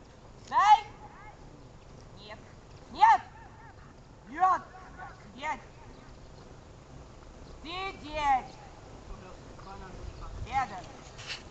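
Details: A series of sharp, harmonic barks from Archik the dog at training on 1 July 2018, single barks roughly every two seconds, a closer double bark near the end, over a faint low hum of outdoor background noise.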